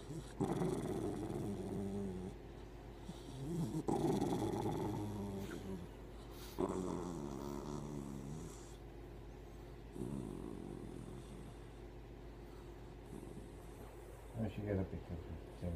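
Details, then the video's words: Morning grumbles from Hercules, a pet dog who is always moody at that hour yet loves hugs and kisses: long low rumbling growls and whiny moans, rising and falling, broken by short pauses, with faint human voices. "My Dog Hercules always Moody in the morning"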